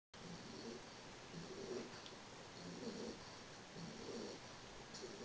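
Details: Carles, a three-month-old English bulldog, snoring while asleep: soft, rasping low snores come in a steady rhythm about once a second over a constant background hiss.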